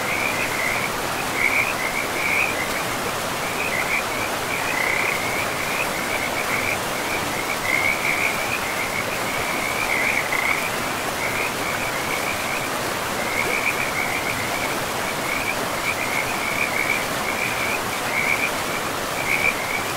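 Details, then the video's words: Frogs calling beside a river deep in a pristine forest with moss-covered ground; a steady chorus of short, high, chirping pulses at one even pitch, repeated almost without pause over the constant rush of flowing water. "River and Frogs sleep sounds"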